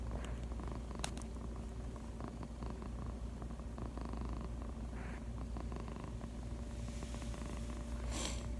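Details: Purring house cat lying on the owner's lap, a low unbroken rumble throughout, with a couple of brief clicks and soft rustling noises.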